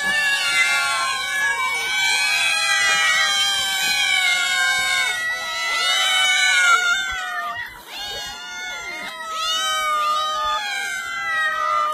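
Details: Cats meowing: several overlapping, drawn-out, wailing meows with bending and falling pitch, forming a near-continuous chorus that briefly dips in the middle before resuming loudly.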